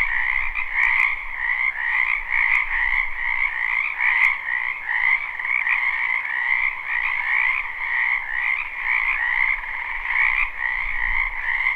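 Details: Spring wetland chorus of frogs croaking behind a house, recorded live with no looping: unbroken massed trilling in two bands, rhythmic ripples through the sound, and a faint low rumble near the end.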